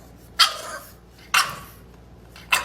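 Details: Three loud, abrupt barks from an angry bulldog puppy named Roly-Poly, who is shut in, spaced about a second apart inside a quiet room.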